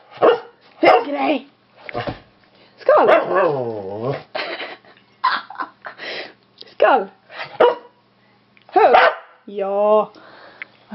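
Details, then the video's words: Pet dog that cannot bark properly and runs through its whole range of barks before settling: varied yelps, a long wavering howl-like whine, and a yodelling rising call near the end, between a person's encouraging words. "Skäll som en hund!"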